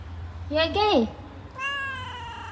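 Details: An angry cat giving a short, bent meow that rises then falls sharply, followed after a pause by a longer, higher drawn-out wail, with a person talking in the background.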